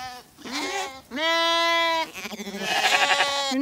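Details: Zwartbles sheep give loud, drawn-out nasal bleats one after another as ewes and lambs are called in on a meltingly hot day on a County Kilkenny farm in Ireland, with the lambs being sorted for a buyer.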